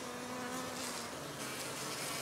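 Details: Buzzing of honey bees at an organic hive kept in a village, a continuous, even hum with a clear low drone tone and its higher overtones holding steady throughout, over a bright airy hiss.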